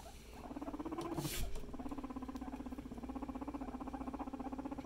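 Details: Domestic guinea pig family; after a male climbed onto a female, a steady low buzzing rumble with fast regular pulsing runs through almost the whole stretch, briefly broken by a sharp rustle.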